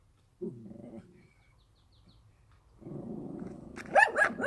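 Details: Countryside dog growling low and steadily, falling quiet, then rumbling again before breaking into a few loud, harsh barks at the end.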